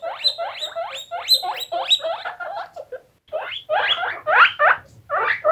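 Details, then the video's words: Guinea pigs, several of them, giving quick upward-sweeping squeaks in a tight series, a short silence near the middle, then a second run of sharper, louder rising squeals. "Guinea Pigs Squeaking For 1 Hour"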